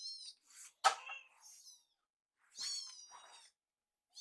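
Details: Two rescued baby kittens following their carer to beg for warmed wet food: a few high, thin, wavering mews and squeaks, with a soft clunk between them in a quiet room.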